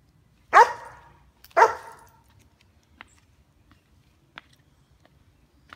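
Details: Backyard guardian dog, a female White German Shepherd aged 2 years 9 months, watching for squirrels: a pair of loud, ringing barks one second apart, followed by small clicks and near silence.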